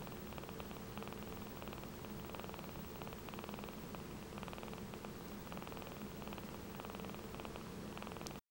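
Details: Four-week-old kitten purring steadily while content on its birthday, a soft unbroken pulsing rumble lasting about eight seconds before ending abruptly.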